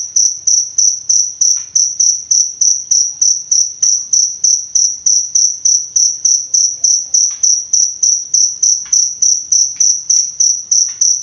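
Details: Cricket (jangkrik) chirping for masteran, the tutoring and therapy of songbirds in Indonesia: a high, shrill pulse repeated about three times a second in a steady, unbroken train, with faint clicks and low background rumble.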